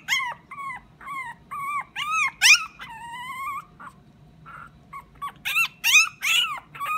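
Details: Small round Pomeranian giving sweet crying sounds, appealing for something: a series of high arched whines, each rising then falling, repeated roughly every half second with short pauses and a few sharper squeals.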